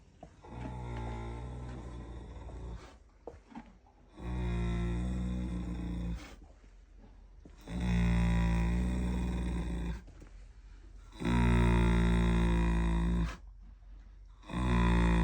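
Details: Standardbred maiden mare snoring loudly while asleep at night in foaling season; deep, droning, buzzy snores of about two seconds each, repeating every three to four seconds with quiet breathing gaps between.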